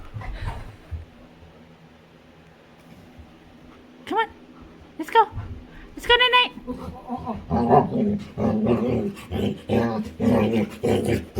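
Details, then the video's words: Female Labrador Winry, playful with her owner, lets out several brief, high whines with a strong tonal ring, then a run of rhythmic grumbling, huffing vocal pulses about once a second while her owner speaks. "Cutest Dog Makes Funny Sounds While Playing"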